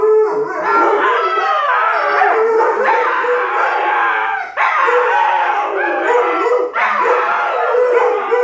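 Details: Alaskan Malamute puppy and Siberian Husky in a long argument that turns into howling; overlapping drawn-out wavering howls with rich harmonics, continuous over the whole stretch, two voices rising and falling against each other.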